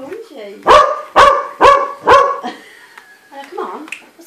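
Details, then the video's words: Dog barking at a snowman: four loud, sharp barks in quick succession, about half a second apart, with a person talking softly before and after. "Dog barking at snowman"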